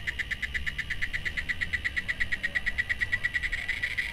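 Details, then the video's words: A cicada sings a rapid series of short, shrill buzzy pulses at a high pitch, evenly spaced and continuous, against a quiet low background hiss. "O Canto das Cigarras"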